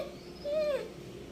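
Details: Pet male Labrador Retriever indoors answering when asked whether he wants food: a single short tonal whine, steady then gently falling, with faint harmonics above and a quiet room behind.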